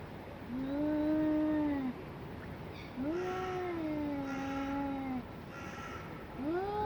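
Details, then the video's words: Two domestic cats in a fight trade long, drawn-out yowls: three wailing howls, each a few seconds long, that rise, hold a steady moaning pitch and slide down, with short pauses between and a low background hum. "Katzenkampf Extrem 2023 😿 Sıra Dışı Kedi Kavgası"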